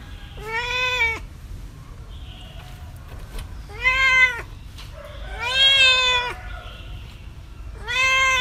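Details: Cats and kittens meowing: four clear, tonal meows with many harmonics, the third longest and arching, spaced a couple of seconds apart with light background hiss.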